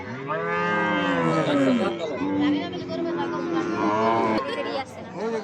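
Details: Cattle at a busy livestock market in Gazipur, Jamalpur-Chowrasta, Bangladesh, ahead of Eid al-Adha: a long, drawn-out low moo with wavering pitch, followed by a second lowing call, with traders' voices and faint music behind.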